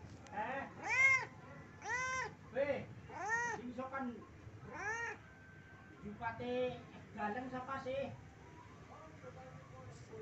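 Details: Pet domestic cat begging its owner for food, giving a run of loud, clear meows, some drawn out and rising then falling, about one per second, with a person talking softly in between.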